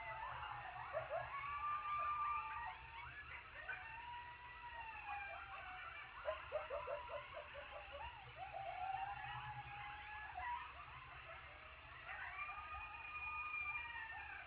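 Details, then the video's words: A group of coyotes in Texas call after a successful hunt while eating. Overlapping sliding howls mix with rapid yips and quavering barks throughout, and a steady electronic whine runs underneath. "Coyote Howl Alert after a successful hunt!"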